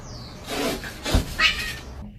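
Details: Kitten meowing and crying indoors: one short, high, strained cry rising and falling near the middle, set among broad rustling, bumping handling noise and a low thud just before it.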